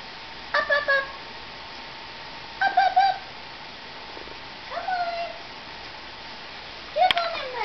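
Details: Four high, harmonic, slightly wavering bleats about two seconds apart from newborn Nubian goat twins, taken from their mothers at birth and still learning to stand and walk on a January day before a snow storm; faint steady hum behind.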